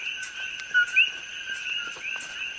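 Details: Coqui frog calling between evening and morning on the Hilo side of Hawaii Island, where it is an invasive species. One clear two-note call: a short low note, then a higher rising note, heard over a steady dense chorus of many frogs.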